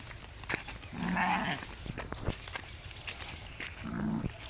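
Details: Garole sheep feeding on damp grass beside a canal; a short nasal bleat early on and a brief second one near the end, with rustling, thuds and outdoor background noise.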